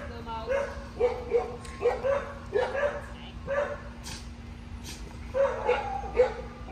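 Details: Female Cocker Spaniel, two and a half years old, anxious around new people and environments, in obedience training around other dogs: short, high, upward-sliding yips repeated about once a second, over a steady electrical hum and faint voices.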